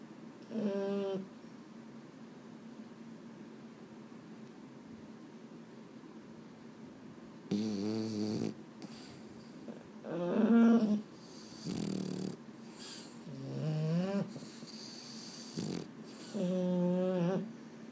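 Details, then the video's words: At bedtime a restless Boston Terrier, one of the pet males Mambo and Cub, lets out a series of six moaning, wobbling whines at irregular intervals, some rising, some falling, separated by soft indoor quiet. "【Boston Terrier】 I can't sleep…"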